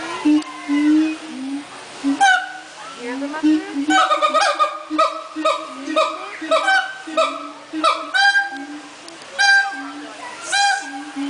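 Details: Song of a captive siamang at the Central Florida Zoo, a dense chorus of rhythmic barking whoops repeated roughly twice a second, rising and falling in bursts with a low droning hoot underneath and brief pauses between phrases.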